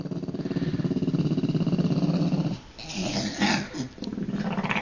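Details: Deaf old Jack Russell Terrier indoors, unhappy at being found by its owner, growls with a low, rumbling, rapidly pulsed snarl that stops midway. A man speaks briefly, then the steady growl resumes while he tells the dog to get down.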